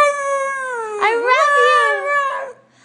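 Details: A 'talking' dog in a funny pet compilation gives a drawn-out, tonal, howl-like vocalization. It holds steady, dips and wavers in the middle, then rises and falls, like words being sung, before fading out.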